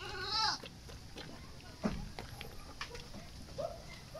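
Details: A goat being wet-fed azolla gives a short, nasal bleat at the start, then fades to faint background rustling, clicks and a few softer distant calls.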